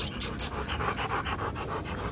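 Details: Panting Rottweiler during a breeding visit in Vietnam, a female brought from Hưng Yên to mate with prize-winning male Loki; fast, even, airy huffs in a steady rhythm, with a few sharp clicks at the start.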